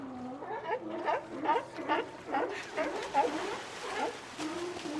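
A sea lion gives hoarse, wavering barks in quick succession, rising and falling in pitch.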